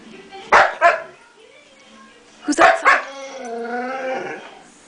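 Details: Pet puppy making talk-like vocal sounds: two short bursts of rising and falling harmonic yowls, each pair about half a second apart, with a thin drawn-out whine trailing afterward and a person's voice nearby.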